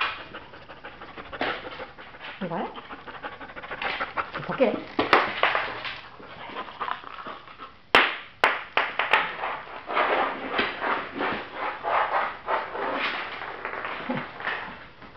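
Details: Lilly, a female Border Collie signed over by her owners and awaiting adoption, pants indoors while playing fetch with a ball and earning treats: rapid breathy huffs in uneven bursts, under a person's constant coaxing and praise, with a few sharp clicks.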